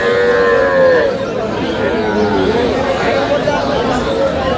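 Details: Cow among cows with calves for sale at Aftabganj cattle market, Dinajpur, Bangladesh, on August 25, 2026; a drawn-out, tonal moo fills the first second, then fades under dense crowd chatter and bargaining voices.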